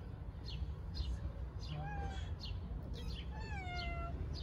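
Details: Newborn stray kittens in Istanbul, venturing outside for the first time in nice weather, make thin, high mews that slide downward, several in a row, over constant low background rumble.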